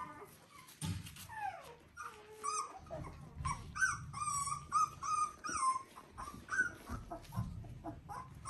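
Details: Three-week-old Border Collie puppies from one litter, indoors, giving high whining whimpers and short squeaky yips, repeated in quick uneven bursts with rising and falling tones over soft background rustling.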